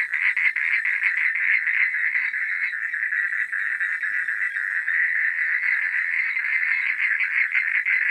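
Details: Night chorus of frogs, countless rapid rattling pulses layered into one steady, shimmering buzz that barely varies in loudness across the whole stretch.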